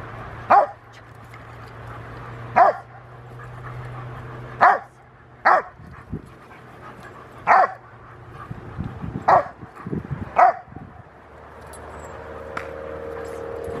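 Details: Young Rottweiler male Gent, eight months old, plays and gives a series of about seven sharp barks every one to two seconds, some paired closely, over a low background hum, on August 2, 2020.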